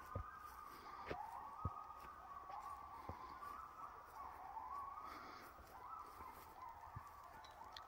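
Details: Coyotes howling in the back woods: several wavering, siren-like voices overlap in a sustained chorus, sliding up and down around one high pitch for the full eight seconds, with occasional soft knocks in the background.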